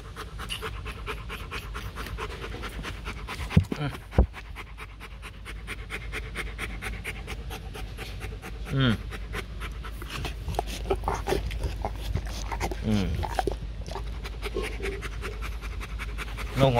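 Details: Bruno, a male Rottweiler stud dog at the Rottweiler Gervi kennel in Thúy Lĩnh, Hoàng Mai, Hanoi, pants in quick, steady breaths while a man talks to him in Vietnamese, telling him to sit up.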